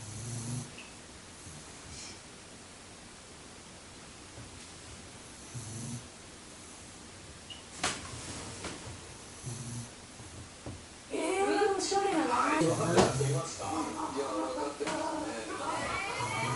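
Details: Shiba Inu named Tsukimi asleep and snoring like a human: soft, low, rumbling snores roughly every two seconds over a quiet background, then loud talking voices take over in the final five seconds.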